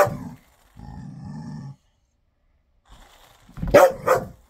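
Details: A ten-year-old dog playing with his ball growls low for about a second, falls quiet, then ends with two quick barks.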